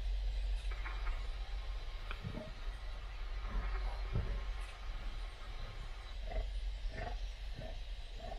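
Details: Lions finishing a water buffalo carcass in Tsavo East, Kenya, filmed on an Osmo Pocket: short low growling grunts at irregular intervals of one to two seconds over a heavy low rumble.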